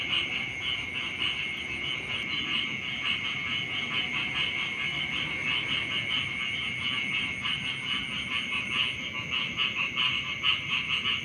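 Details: Morning frog chorus at the edge of rice fields, many voices blending into a continuous high trilling buzz with fast, even pulsation and no pauses. Soft background hum below.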